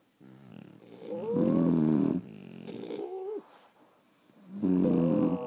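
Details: Dogs of the French Bulldog breed dozing at home produce gravelly snores with a nasal whistle riding on top, a loud snore, a softer wheezy breath, then another loud rumble.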